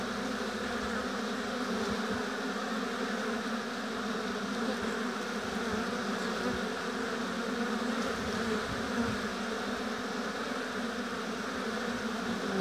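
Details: Continuous hum of a busy honey bee colony at its apiary hive, many bees droning together in an even, unbroken buzz throughout.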